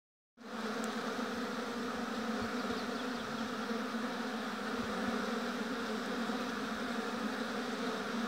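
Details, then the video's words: Honey bees swarming at a hive in an apiary, a dense continuous hum centred low with bright overtones, steady throughout after a sudden start, with a faint click near the beginning. "Busy Bees Buzzing Sound."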